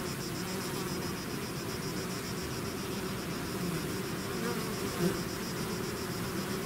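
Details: Swarming bees out of a hive produce a soft, even humming drone, with a faint high steady tone running above it and one small close pass late.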